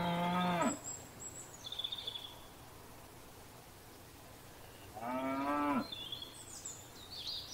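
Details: Grazing cows in a field: a brief moo opens, a long quiet gap with faint birdsong follows, then another short, strong moo, with high bird whistles afterward.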